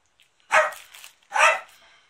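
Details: A pet dog at its family home during a big cleanup, recorded on 13 March 2019; two sharp, loud barks about a second apart, otherwise quiet.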